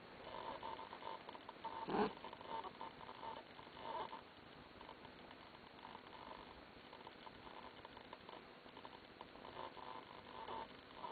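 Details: Domestic cat named Lillie making an odd, funny noise: a faint, rough snore-like burst stands out once early on, with softer snuffling sounds later over a steady low indoor hum.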